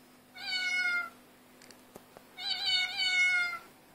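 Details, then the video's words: Domestic cats meowing in chorus, recorded with an Android phone: a bright harmonic meow, a pause with a couple of small clicks, then a longer wavering meow lasting over a second. "Cat chorus 2"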